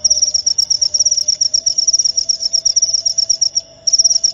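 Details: Rat-repelling cricket chirps: a piercing, rapidly pulsed trill that stops briefly near the end before resuming, over a faint steady low tone.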